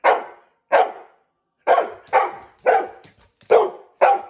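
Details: Pet dog, a female, barks in protest when her owner tries to brush her: seven loud, punchy barks in quick succession, spaced roughly half a second to a second apart, indoors and otherwise quiet.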